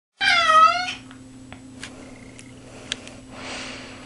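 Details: Cat stuck in a bathtub in a small room gives one loud, drawn-out wavering meow of under a second, then quiet room noise with faint clicks and rustling.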